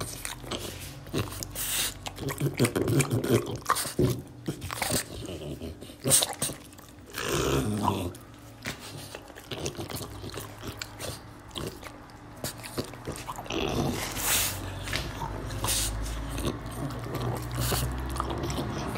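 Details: Oleg, a French Bulldog, munching string beans: loud crisp crunches and smacking chews come in uneven bursts, with pauses, low snorting breaths and occasional heavy bites, all close up in a small indoor room.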